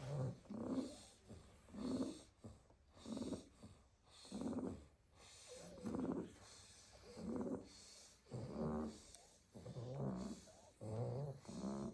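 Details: A basket of Staffordshire Bull Terrier puppies dozing after a day of garden play: rhythmic snoring, each breath a raspy rumble with a faint wheezy tone, repeating about every 1.3 seconds, overlapping snores later from more than one pup.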